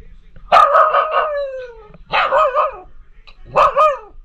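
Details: Liberty, a talkative female Pomsky puppy who howls about everything, addressing her sister Pima Kitty. One long wavering howl of about a second and a half falls in pitch, followed by two shorter, bending yodel-like cries.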